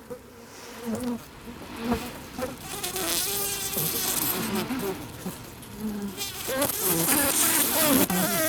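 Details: Asian honey bees (Apis cerana), recorded close up, make a dense, close buzz of many overlapping, wavering hums, with soft hissy bursts that are an alarm signal, most likely triggered by the microphones in their habitat.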